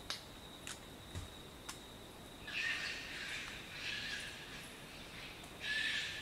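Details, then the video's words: Short-eared Brushtail Possum giving wheezy, hoarse shrieks in three drawn-out bursts, introduced by a few sharp knocking clicks in the first two seconds, against a faint steady background hiss. "Short-eared Brushtail Possum Sounds - Coughing calls & shrieks"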